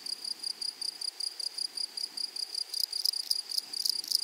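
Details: Grasshoppers in a flowery meadow or prairie: a steady, very high-pitched ringing tone pulsed in quick regular beats. Harsher, louder rasping bursts join in during the final second and a half.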